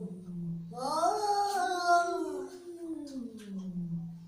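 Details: Angry cat indoors: a low growling moan rises into one long, strained yowl that trails back down to a low drone.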